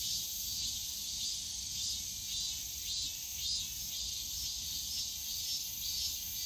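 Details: On a summer day in Yongsan Family Park's bamboo grove, cicadas keep up a high shrill drone that swells and dips in gentle pulses roughly every second, over quiet low park noise.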